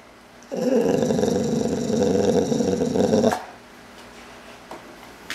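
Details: Playful growling from Boozer, a full-blooded American Boxer: one sustained, throaty rumble lasting nearly three seconds, fairly loud, followed by quiet room sound with faint clicks.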